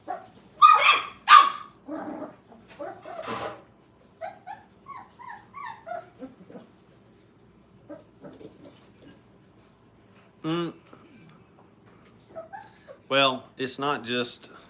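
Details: Five-week-old Brittany puppies playing together at a training kennel: short high yips, whimpers and sharp little barks in uneven bursts, with quiet gaps between, a louder cluster near the start and again toward the end.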